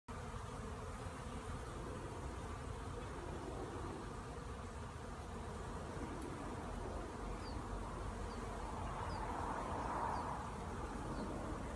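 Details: Western honey bees (Apis mellifera) learning to fly at a 'flight school' give a steady, low, droning flight buzz that holds without pause.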